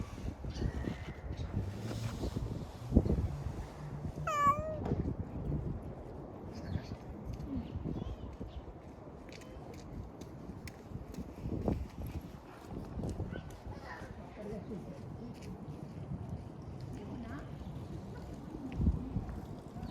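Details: A dozing community cat outdoors lets out one clear, wavering meow, followed later by a fainter one. Soft rustling and wind noise fill the background.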